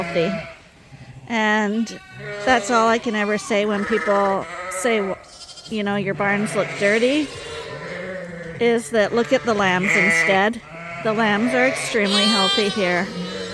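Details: Escaped Suffolk lambs now running together as one big group in the Ewetopia Farms barn keep up a busy chorus of bleats, short and long, trembling cries overlapping one another throughout.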